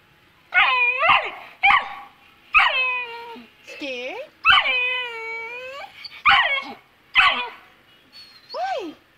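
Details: Two-month-old Saint Bernard puppy, afraid to go down stairs, whines in a series of high, drawn-out, wavering cries that rise and fall. Each lasts about half a second to a second, with brief sharp yelps between them, indoors.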